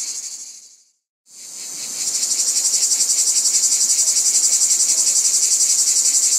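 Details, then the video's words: Shrill cicada drone cuts off into about a second of silence, then returns and builds into a loud, regularly pulsating buzz that runs to the end. "Cicadas | Black Screen Sounds"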